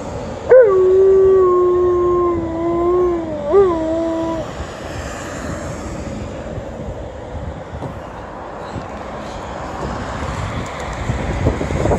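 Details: An Alaskan Malamute gives a long, wavering howl in answer to the siren of an ambulance passing on an emergency run, then falls quiet.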